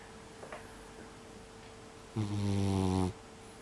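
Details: Loud, hearty snoring from a sleeping mixed-breed brown tabby house cat of unknown age, recorded indoors in December 2021. After a quiet stretch comes one steady, deep, humming snore lasting about a second, over a faint constant hum.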